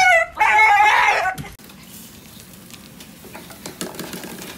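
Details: Shiba Inu screaming during a dog wash: a loud, shrill, harmonic shriek lasting about a second and a half, sliding down then holding steady, followed by quiet background with a few faint clicks.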